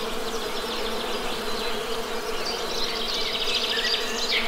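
A steady, low droning buzz of many honey bees, humming together without a break.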